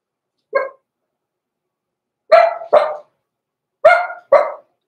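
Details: Young blenheim Cavalier King Charles Spaniels from a small litter born November 14, 2022, indoors in their puppy pen near Christmas: one lone bark, then two quick double barks, loud and clipped, with silence between.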